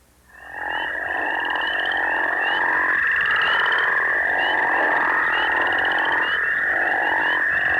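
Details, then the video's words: A group of Northern crayfish frogs in Missouri give deep, overlapping snoring calls over a steady high chorus hum. The species breeds in early spring in farm ponds and flooded ditches. "let's listen to the deep, snoring sound made by a group of crayfish frogs. (crayfish frog call)"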